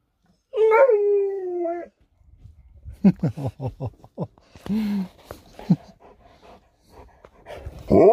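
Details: Sherpa, an Alaskan Malamute, reacts to the daughter leaving home with a steady, slightly falling howl. After a pause comes a rapid run of short yipping whimpers, then scattered whines and another loud cry at the end.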